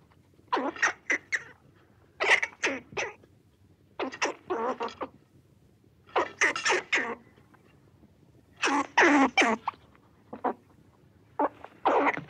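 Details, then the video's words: A red squirrel (Sciurus vulgaris) gives harsh, raspy chuck calls in quick clusters of two to four. "Red squirrel sounds, squirrel call"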